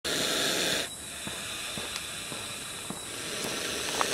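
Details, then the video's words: Monocled cobra rescued from a toilet in a family home in Ao Nang, Thailand, hissing: a loud broad breathy hiss for the first second, then quieter steady hiss with faint clicks and handling sounds. "COBRA HISSING"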